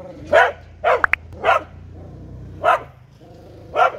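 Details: An Australian Cattle Dog (blue heeler) gives sharp, single barks at uneven intervals of about a second.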